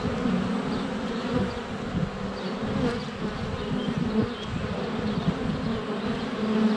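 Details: Steady low humming drone of many honey bees flying around the hive entrance on a sunny February day, recorded inches away on a GoPro Hero 7 Black, wingbeat tones wavering as bees pass close, faint bird notes in the background.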